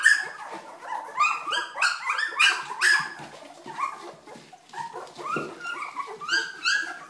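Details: Two-week-old Old English Sheepdog puppies calling continuously: overlapping high squeaky whines and yelps from several pups, rising and falling rapidly in pitch, many short notes per second.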